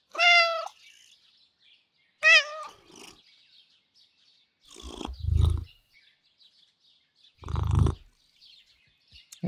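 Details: Two Russian Blue cats with a very sweet and gentle character: two short, clear, harmonic meows, then two low rumbling bursts a few seconds apart, with quiet gaps between.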